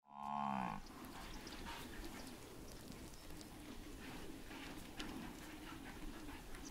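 A buffalo gives one short, deep, moaning bellow lasting under a second. A steady rough hiss of background noise fills the rest.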